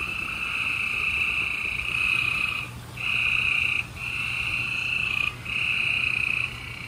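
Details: Gray treefrogs trilling at night in Houston, Texas, on 28 April 2020; a near frog gives long pulsed trills of one to three seconds with short pauses, other frogs buzzing faintly behind.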